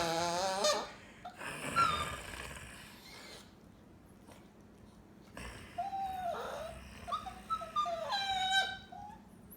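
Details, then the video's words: Chihuahua answering a person's snorts: a high, tight squeal at the start, a faint breathy stretch, then a run of bent, groaning whimpers and squeaky yowls near the end. "Funny Chihuahua Noises"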